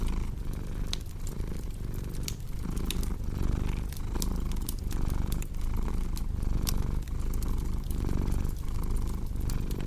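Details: Cat purr rumbling low and rhythmically, pulsing with inhale and exhale, beside a crackling fireplace giving frequent sharp pops and clicks.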